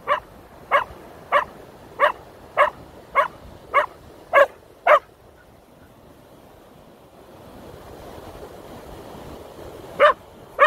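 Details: Feather-fearing Keeshond Koda barks at a feather in a fast run of nine sharp barks. A pause follows, filled with a soft rushing hiss, then two more barks.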